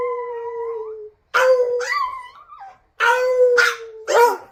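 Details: Pet Chihuahua howling: a steady, sustained tone slowly dipping in pitch, then after a brief silence several shorter wavering howls that rise and bend, separated by quiet pauses.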